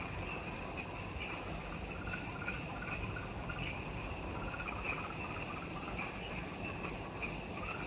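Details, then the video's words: Just after sunset in the Ishigaki Island forest by the Mount Omoto trailhead, Okinawa, Japan, many insects call at once: shrill pulsed chirps repeating in high and middle bands, a rising trill near the end, steady low rumble beneath. "Relaxing Jungle Ambience with Insects"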